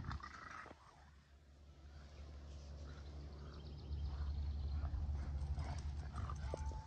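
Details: Two dogs, a Keeshond and a Boston Terrier, playing tug and having a stand-off; a low rumbling growl builds and grows louder in the second half, with faint squeaks.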